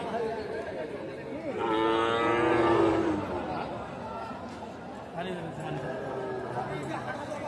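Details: Sahiwal bull calves at the Aftabganj cattle market in Nawabganj, Dinajpur, on 8 October 2024: one deep, harmonic-rich bellow swells and fades over about a second and a half above a steady murmur of crowd chatter.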